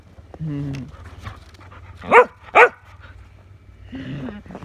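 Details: Shetland sheepdog barking while playing with a shovel, recorded 1/30/22; two sharp, loud, broadband barks about half a second apart in the middle, with a person talking to the dog before and after.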